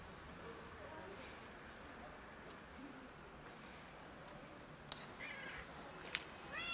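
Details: A family of cats gathers to feed, with a kitten joining them. Short, high meows rise near the end over a steady background hiss, with a few clicks and soft rustling sounds.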